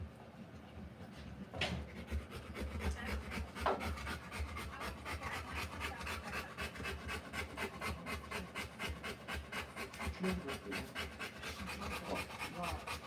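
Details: Rottweiler in labour delivering puppies, breathing in fast, continuous panting that grows steadier and quicker, several per second; a few brief rustles and soft human voices early on.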